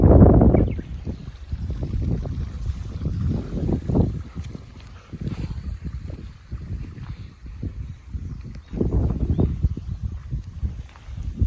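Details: Golden Retriever on a riverside walk just before rain; quick, uneven puffs of breath repeating about three times a second, loud at the start, then softer, with flowing water and light wind behind.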